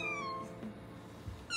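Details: A Maine Coon cat named Hinata, on greeting-challenge day 423, gives a clear, gently falling meow greeting its owner returning home, with a second meow starting.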